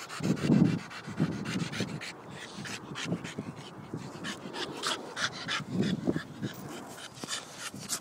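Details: A Staffordshire Bull Terrier pants hard while playing, with low throaty grunts breaking through the quick breaths; Staffordshire Bull Terrier.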